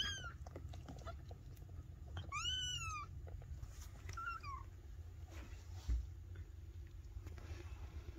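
Maine Coon kittens give thin, high meows that arch up and fall away, over a low background rumble.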